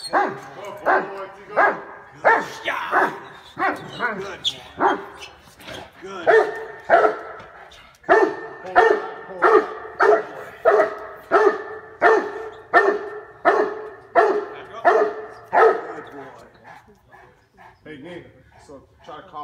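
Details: Cane Corso in protection training, giving a long, steady series of loud, rough barks at a quick, even pace, briefly pausing midway, then trailing off into quieter sounds and voices at the end.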